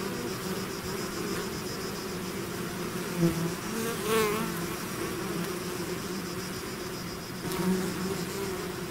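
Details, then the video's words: Honeybee swarm pouring out of its hive, a dense continuous drone with steady bands of buzzing wingbeats, a few individual bees zipping close past with brief rising and falling whines near the middle. "bees therapy swarm natural buzzing sound"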